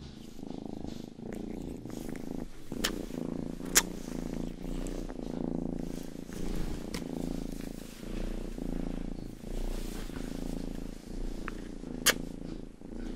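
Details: Rang-i, youngest cat of the home, grooms an ASMR binaural ear microphone, producing a rhythmic, wavering purr in gentle surges, punctuated by a few crisp tongue clicks and light rubbing.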